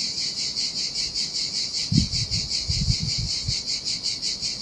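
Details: On a desolate Sardinian beach in the heat, cicadas keep up a pulsing high buzz, steady and rhythmic, while low thumping splashes break in around the middle.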